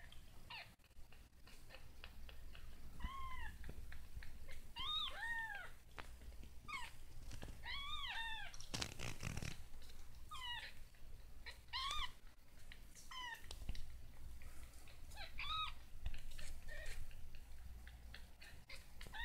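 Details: Baby kitten struggling with its first steps, crying in clusters of thin, high, curving meows, some doubled in quick succession, broken by a burst of rustling and soft knocks against a low indoor hum.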